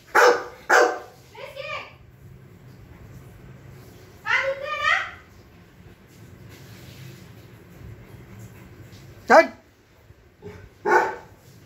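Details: A French Mastiff caught mid-argument with its owner barks in short, forceful bursts spread across the exchange, with a pair near the start and more toward the end. A child's raised voice is heard in between, in a small room.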